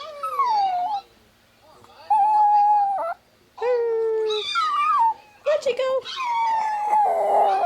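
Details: A male Chihuahua howls in reply to dog howling videos played on a phone: four or five separate drawn-out howls, some level and some bending downward, with short pauses between them and people's voices nearby.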